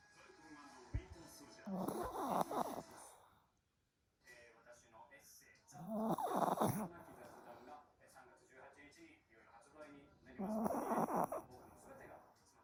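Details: Pomeranian snoring even with its eyes open, three long rasping, rattling snores about every four seconds, each a broad noisy burst with short quiet pauses between.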